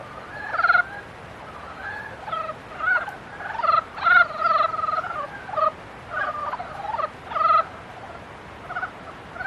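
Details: Mating-season frogs give short, pulsed, nasal croaks in bursts roughly every half second to second, several voices overlapping, with quiet gaps between groups of calls.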